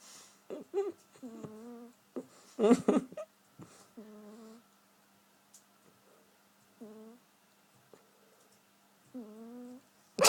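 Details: A cat asleep and snoring comically: brief droning, whistle-like hums, five of them at uneven intervals, some wavering in pitch, between clicks, rustling and a loud thump near the end in a small quiet room.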